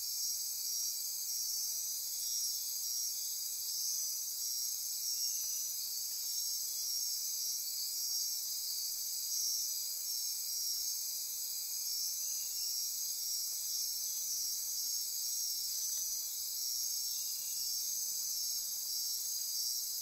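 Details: Nocturnal insect chorus in rainforest near Corcovado National Park on Costa Rica's Osa Peninsula at midnight: dense, steady high-pitched trilling and buzzing in several stacked bands, continuous without pause, with a faint pulsing layer lower down.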